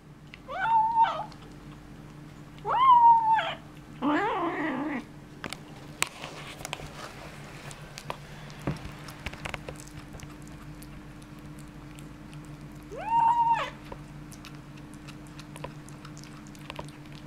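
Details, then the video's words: Kitten with a bone making weird sounds indoors: three drawn-out, tonal, wavering mews near 1, 3 and 13 seconds, a rougher, noisier growl right after the second, then quiet with a faint steady hum and small knocks. "Kitten & bone, weird sounds"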